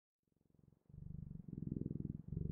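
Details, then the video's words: Purring cat starting quietly from silence, the low rhythmic buzz rising in strength over about two seconds. "Sounds of Cat's Purring"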